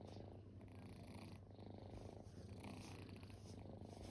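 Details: Kittens, once strays, lie resting and purr steadily up close, a rich rumbling tone pulsing gently with their breathing and never pausing.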